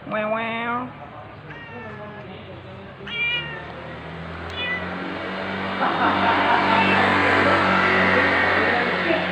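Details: Early-morning meowing from a ginger stray male cat, filmed 13 November 2021 at 6:32 AM on an OPPO A5s phone. A long meow is followed by three shorter, rising ones within five seconds, then a loud rumbling engine-like noise swells and covers the rest.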